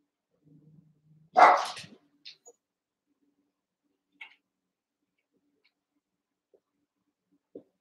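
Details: Young Cavalier King Charles Spaniel puppies wrestling and playing in an indoor pen, eight littermates together: a single loud, harsh bark, preceded by soft low grumbling, followed by a few faint squeaks and ticks.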